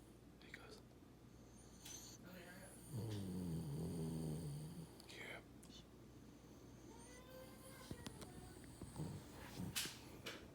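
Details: Boston Terrier. A Boston Terrier snores in its sleep: one drawn-out, low, throaty rumble stands out, followed by softer, wheezy breaths. Faint clicks and rustling sounds are heard in the background.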